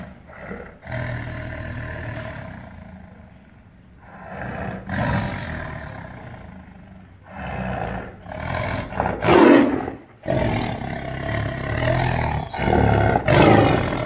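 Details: Angry tiger in captivity, caged, letting out a series of harsh roars and snarls, uneven bursts roughly every few seconds, growing louder and rougher toward the end.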